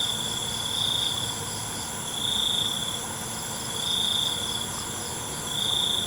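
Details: Crickets calling at night, each high trilling burst swelling and fading about every 1.6 seconds over an unbroken shrill insect background.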